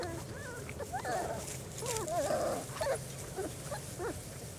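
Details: Whining four-week-old German Shorthaired Pointer pups out in the open for their first time, a run of bent, quavering squeals and short yelps, busiest in the middle seconds, then thinning to brief sharp cries.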